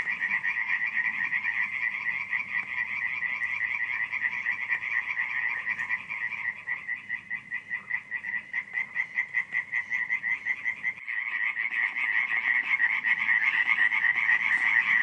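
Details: Frogs calling at night at Radziszów, Poland, July 2015: a thick rattling chorus thins midway to a single caller's distinct pulsed croaks, about three per second, before the full dense chorus swells back in.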